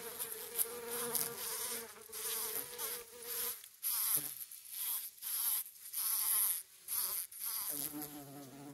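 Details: A bumble bee and a honey bee buzz close by on wild roses, a steady droning hum that swells and fades, as the bumble bee pushes the honey bee off a flower and it leaves.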